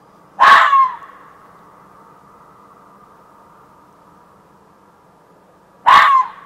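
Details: Fox calling in a back yard around 1:15 am at night: two loud, harsh barks about five seconds apart, each abrupt and rasping with a ringing echo trailing after, quiet in between.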